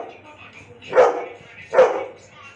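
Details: Pet Labrador Retriever barking twice, roughly 0.8 seconds apart, each bark a short punchy burst over faint background music and low room noise.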